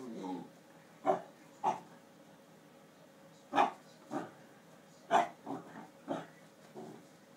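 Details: Basset Hound at play with a hamster in its exercise ball, thinking it is just another toy; a run of short sharp barks and yips at irregular intervals, about eight bursts over seven seconds, in a quiet room.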